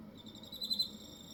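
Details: Hokkaido cricket's sustained, thin, high-pitched ringing tone, with a pair of slightly louder pulses near the middle of this short stretch and a low background hum beneath.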